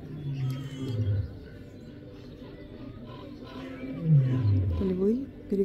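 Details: Lions exchange deep, moaning roars back and forth in a roll-call at a wildlife park, playful after waking, on a sunny day, while a woman talks nearby.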